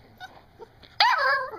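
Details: Seven-week-old puppy 'talking' at its owner's urging indoors. After faint background sounds, a single loud, drawn-out whine begins with a sharp onset and slides downward over about half a second.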